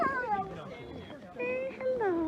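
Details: Alaskan Malamutes at a sled dog club in Larose Forest, Ontario, in -30 degree C cold: high falling whines and a long sliding howl-like whimper, clear and close, from excited dogs.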